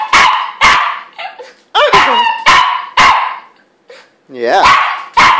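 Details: Domestic dog crying or 'singing' indoors: a run of short, wavering, harmonic yowls and whines, some rising and falling in pitch, about every half second with brief pauses, while a woman talks to the dog in baby talk.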